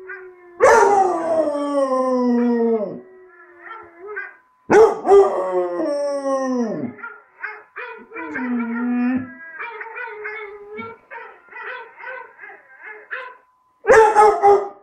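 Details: Tricolour basset hound puppy Bruce, four months old, practising his breed's howl: long, loud howls that sag downward in pitch, broken by shorter quavering yelps and wobbling notes, with a fresh howl bursting out at the end.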